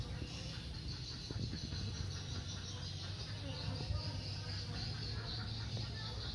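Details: Honey bees flying in and out of their hive entrance, a low steady humming drone throughout with a constant high shrill background chorus.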